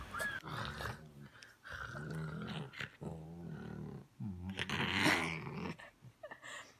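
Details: Pumpkin, a young Rottweiler puppy, growls indoors in a small room, giving low rumbling, harmonic bursts of about a second each, broken by short pauses, with a sharper, higher burst near the end.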